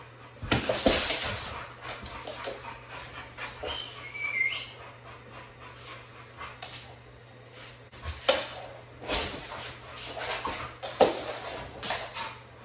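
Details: American Bully from a dog kennel in Liberty County, Georgia, giving sharp, loud yelping barks in scattered bursts, with a brief high thin whine in the middle and a steady low hum underneath.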